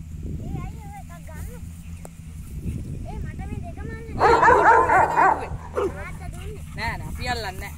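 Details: Rottweiler playing with a Sri Lankan buffalo outdoors; a loud burst of rapid barks in the middle, with scattered yips before and after, over people talking and laughing throughout.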